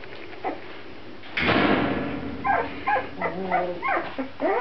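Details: Grand Basset Griffon Vendéen puppies indoors: a sudden burst of rushing noise gives way to a run of high, arching whines and squeaks, several overlapping in quick succession near the end.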